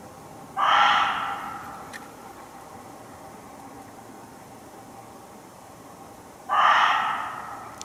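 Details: A muntjac hidden in undergrowth close by in a Hertfordshire forest gives two loud, harsh, hoarse barks, spaced about six seconds apart.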